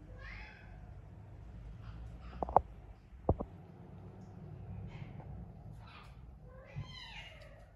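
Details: Naomi, a house cat living with exotic animals, gives a bright rising-falling meow, then sharp knocks mid-recording, then a second drawn-out wavering meow at the end.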